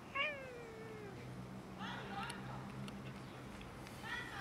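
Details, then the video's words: Cats and a kitten in a little fight over food; one long descending meow opens, followed by shorter harmonic mews near two and four seconds, over a steady low hum. "Cats and kitten quarrelling over food"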